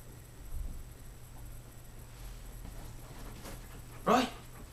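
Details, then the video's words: Roy, a 15-week-old Rhodesian Ridgeback puppy, plays indoors as his dog bed is scratched, recorded on a Kodak Zi6; one short, high harmonic yelp near the end breaks an otherwise quiet room with a low hum. "Roy the Rhodesian Ridgeback puppy 15 weeks playing"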